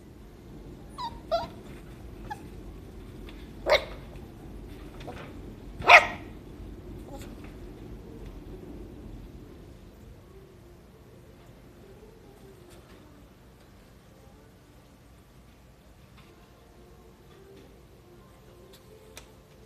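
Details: Male apricot Toy Poodle puppy, born 25 July 2021, gives a few short, sharp yips and barks in the first six seconds, the loudest two about two seconds apart, followed by quiet room tone.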